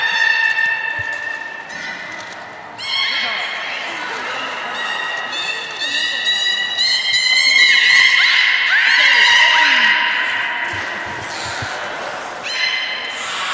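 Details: A beluga whale at Port of Nagoya Public Aquarium, 23 March 2019, during play time after feeding, gives steady, harmonic whistles and squeaky chirps, some sliding up and down in pitch.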